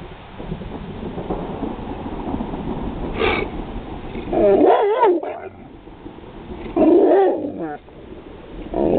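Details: Roscoe, a pit bull, reacts to hearing thunder indoors with wavering, whining vocal bursts around four and seven seconds, pitch sliding up and down, plus a short sharp yelp earlier over a steady low background hum.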